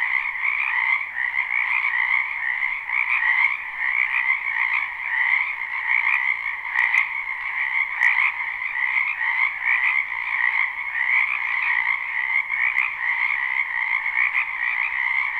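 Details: Spring wetland frogs in full chorus behind a house, recorded live without looping: continuous layered croaking that pulses gently, plus a few brief faint clicks near the middle.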